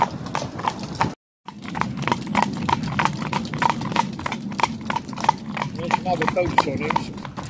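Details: Six-year-old Welsh gelding Bow in carriage-driving training: brisk, evenly spaced hoof clops on a hard surface with a short silent break early on, and a person talking briefly toward the end.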